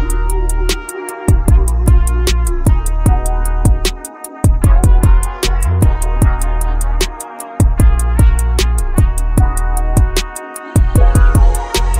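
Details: Loud drum-machine music with a steady beat and bass plays throughout, and no animal is heard.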